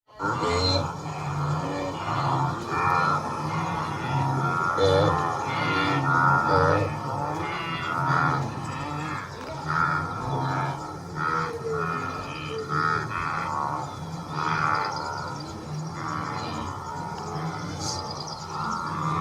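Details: Blue wildebeest (Connochaetes taurinus) give a steady chorus of deep, nasal grunts and bleating moans that overlap without pause.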